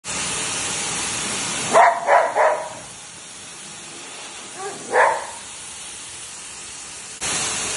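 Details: Golden retriever barking during grooming, disliking the blow drying: a quick burst of three sharp barks, then a single bark a few seconds later, with the loud hiss of a blow dryer at the start and end.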